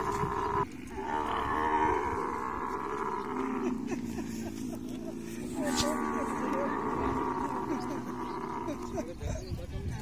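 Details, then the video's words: Camel roaring during mating: a long, continuous, rasping rumble with a rapid gurgling pulse and a brief dip near the start. Rough crackling runs through the middle. "Camel love full video|| mating sounds"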